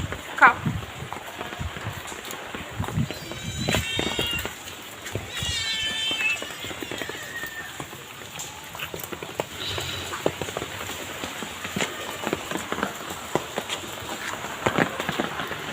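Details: Two kittens being fed, giving a few high, thin meows midway, with a woman talking softly to them, light patter and rustling in the background.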